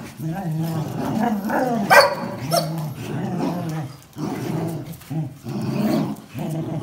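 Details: Dogs, a Jack Russell Terrier and two Border Collies (one black and white, one red and white), growl while tugging over a towel: low, rough, rumbling growls in uneven bursts, with one sharper bark-like outburst midway.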